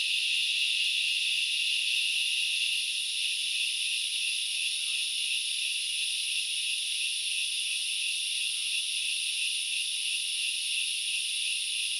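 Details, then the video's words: Continuous shrill grasshopper chorus from Knuckles Reserve in the Central Highlands of Sri Lanka: steady high hissing buzz, a touch louder at first, then settling into an even drone. "The sound of locusts / The grasshoppers sounds"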